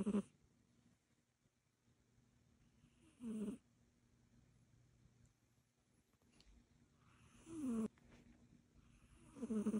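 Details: Sleeping Egyptian Mau cat snoring, each breath a breathy rasp with a low tonal hum, rising and falling, repeated roughly every four seconds, with quiet gaps between snores and a faint steady hum underneath.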